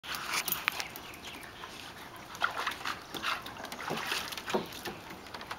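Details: Four dogs, Maddie the Great Dane mix, Akira the Siberian husky, and mixes Shasta and Nala, romping in a yard in May 2012: a dense jumble of scuffling, short yips and rough play noises without pause.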